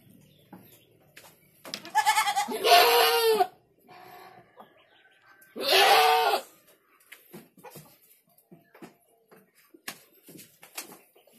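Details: A goat kid gives two loud, wavering, nasal bleats a few seconds apart, the first longer than the second. Soft clicks, taps and rustling fill the quiet gaps.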